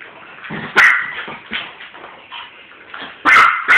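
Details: Pet dog barking at a skunk-shaped ball, recorded on a phone indoors: a run of short, sharp, high barks and yips, with several loud bursts clustered near the end.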